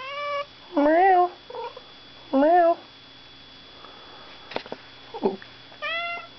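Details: A pet cat meowing indoors: four clear, tonal meows, each short and bending upward then down, spaced irregularly, with a person's chatty speech answering between them and a faint steady hum.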